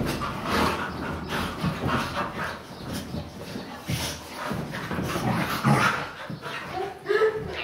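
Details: Several pet Siberian Huskies romping together on a couch, giving scuffling, huffing play noises in quick bursts that end in a short, higher whine, with a person's voice in the background.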